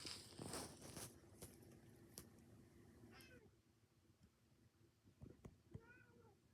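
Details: Domestic cat indoors during grooming: rustling and sharp clicks fill the opening seconds, then two quiet, short harmonic meows follow, one just past the midpoint and another rising-falling one near the end.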